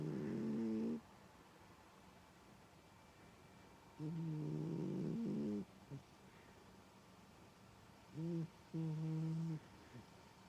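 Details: Domestic cat snoring loudly while asleep, giving deep, rattling, harmonic snores at about four-second intervals, the last one broken into two short puffs, with near silence between breaths.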